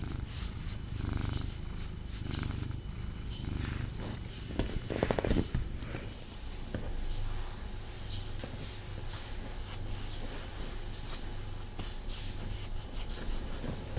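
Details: Domestic cat purring while cuddled, unable to fully relax; low rumbling purr that is strong early then softer and steady, with rustling movement and a faint scratchy sound midway.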